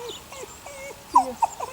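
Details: Six 8-week-old puppies of Sunny, a neighbour's dog, give a run of short high whimpers, thin wavering tones that rise and fall, with two louder yelps near the end against quiet surroundings.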